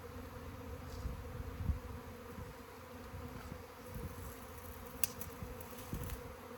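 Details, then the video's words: Honey bees in a swarm drone in a soft, constant hum, broken by a few thumps and clicks of handling nearby. "Bee SWARM!"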